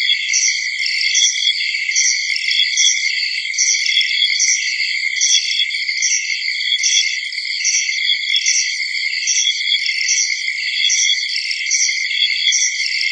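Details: A steady early-summer insect chorus of high, shrill trilling with regular pulsing bursts.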